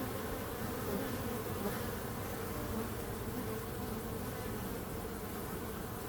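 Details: Dense buzzing of many bees, a thick unbroken hum layered low and midrange, level and steady throughout without pauses.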